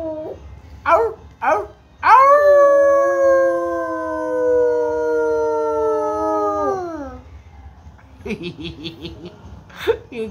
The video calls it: rottweiler howling